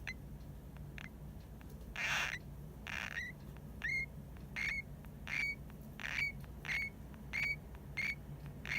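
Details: Hamuzo, a drowsy pet hamster, makes squeaks that may be snoring: thin, high, upturned chirps come about every half second to second, mixed with soft rustling bursts and a steady low background hum.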